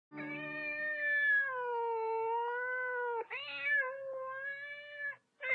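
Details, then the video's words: Thai cat, an indoor pet, around young kittens: long drawn-out tonal meows, the first sustained several seconds with slight wavering pitch, then a short rising cry and another long meow, with soft music underneath. "Тайские кошки - это чудо! Funny Cats"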